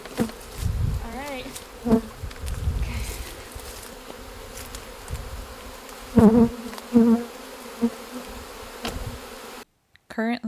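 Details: Western honey bees give a loud, steady, low droning buzz from wings beating incredibly fast as the beekeeper dumps the bees, just pulled out, into a container before clearing off stuck leaves.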